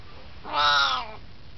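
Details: An 18-year-old Siamese cat hanging out and chatting gives a single drawn-out, rising-then-falling meow of about three quarters of a second. The voice is rich in harmonics and nasal in tone, over a quiet room background.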